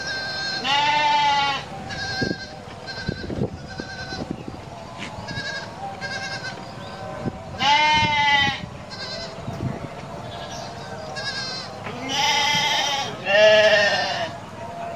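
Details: Domestic goats bleating repeatedly: about five loud, tremulous bleats spread across fifteen seconds, with fainter calls and clattering noises between them.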